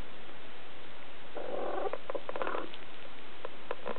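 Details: Siberian kittens three weeks old, July 2008: a drawn-out, slightly wavering mew of just over a second, followed by scattered light clicks and knocks against a steady background hiss.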